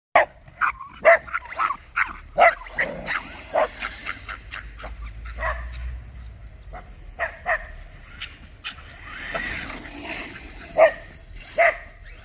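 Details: A Miniature Bull Terrier chasing a Tamiya Super Levant in a park alongside another dog barks in sharp, excited bursts, sometimes doubled, with pauses between.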